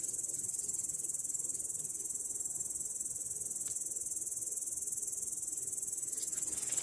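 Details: A grasshopper sitting in grass gives a continuous, very high-pitched buzzing trill that pulses steadily. Recorded 18 August 2017.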